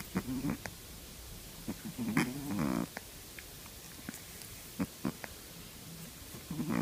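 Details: A three-month-old Shih Tzu puppy snores with low, rattling snorts in uneven breaths.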